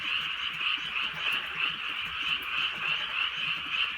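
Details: Countryside frogs croaking together on a rainy Korean night: bright, fast, trilling pulses roughly three per second over a continuous chorus hum, with faint drops of drizzle.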